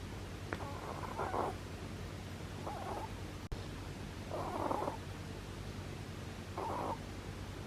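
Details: Sleeping domestic bunny snoring with four short, airy rasps spaced unevenly a second or two apart. A faint click sounds near the start and a brief sharp tick falls midway. A constant low hum runs underneath.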